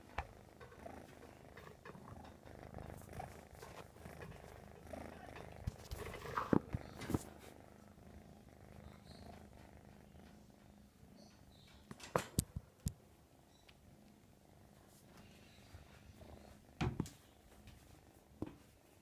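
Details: American Shorthair kitten named Mashu purring continuously, a steady low rumble throughout, broken by scattered clicks and rustling handling noises, with a few sharper knocks near twelve and seventeen seconds.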